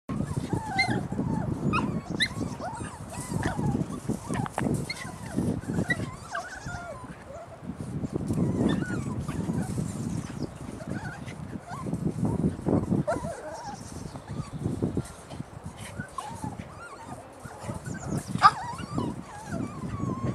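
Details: Several puppies recorded on 3 May 2013, giving many short, high, wavering whimpers and squeaks over a steady low rumble of shuffling and movement, with brief louder bursts.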